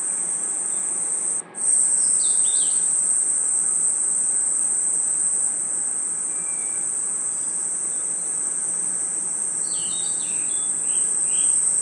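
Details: An unbroken, piercing high trill from crickets and insects in a forest at night, briefly cut near the start. Scattered short whistled chirps appear early and again near the end.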